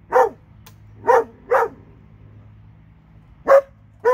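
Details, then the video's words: Dog in Alabama, one of two, barking loudly and clearly, five strong barks in a few seconds, two close together, over a faint hum. "Alabama dogs"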